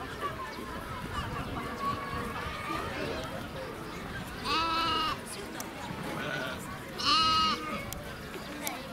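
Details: A lamb at Nasu Animal Kingdom, Tochigi, Japan, recorded 29 April 2018, gives two clear, trembling bleats about two seconds apart against a fairly quiet background with faint voices.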